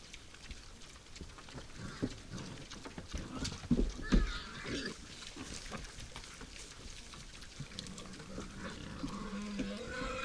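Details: Wild boars visiting a forest feeder at night: low, scattered grunting and snuffling through the first half, then a drawn-out, wavering squeal near the end, against a faint hiss of background noise.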